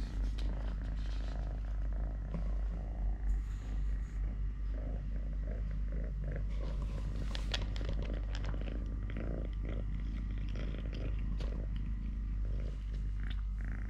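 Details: Purring from Totoshka, a three-legged domestic cat, during eating, play, walking or hand-fighting; a continuous deep pulsing rumble throughout, with scattered rustles and soft clicks over it.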